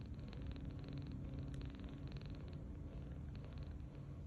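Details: Tange, a tiny rescued kitten 39 days old, snores gently while asleep on his back on a bed. The breathing comes in soft, rattling pulses over a low hum, with one brief click.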